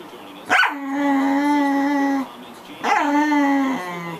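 A corgi gives two drawn-out, steady-pitched howling cries, each opening with a sharp yelp.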